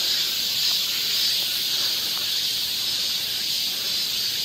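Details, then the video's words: Summer cicada chorus on a forest trail in Seoul, Korea, a continuous shrill buzzing wash held at an even loudness throughout, with nothing else standing out. "cicada sound"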